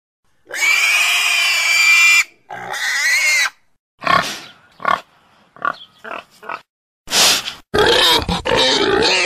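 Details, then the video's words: Pig giving a long, loud, high harsh squeal, then a second squeal, followed by a series of short, broken grunts and snorts, ending in two more rough squealing bursts. "Domuz sesi🐷Pig's voice🐖Schweinsstimme🐷Donuz səsi🐖豬的聲音🐷la voix du cochon"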